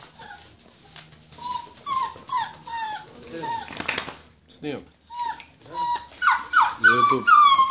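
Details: Purebred Rhodesian Ridgeback puppies, born 14 February 2016, produce thin whining whimpers: short, slightly falling notes in quick succession, pausing midway, then rising into higher, strained squeals near the end, with a human voice briefly in between.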